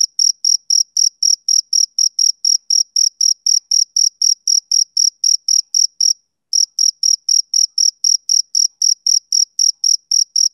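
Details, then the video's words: Male cricket giving bright, shrill chirps roughly four per second, one brief pause partway through before the regular pulsing resumes; nothing else audible. "Cricket Chirping Sound Effect"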